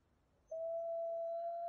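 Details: A lone gray wolf howls a smooth, steady, pure-toned note that holds level and rises very slightly while prowling the road near Gibbon Falls on Yellowstone National Park's lower loop.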